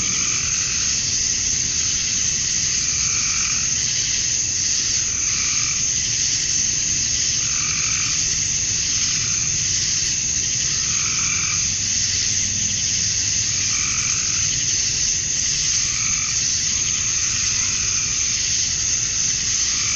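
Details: Male cicadas at summer dusk in Georgia, USA, chirping to attract females: a steady, intense high buzzing chorus throughout, with a rhythmic lower warbling call repeating about every two to three seconds.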